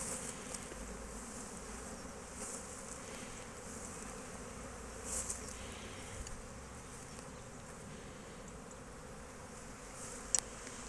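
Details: Honey bees foraging and collecting nectar at an Italian apiary on 12 March 2024, a steady dense hum of many wings filling the whole recording with even loudness, with a few faint clicks and a brief sharp tap near the end.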